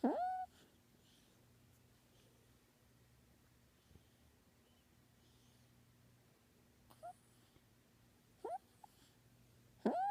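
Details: Male kitten asleep, making scattered short squeaky mews: one at the start, then brief chirps and squeaks spaced over ten seconds, ending with another mew; quiet indoor hum between them.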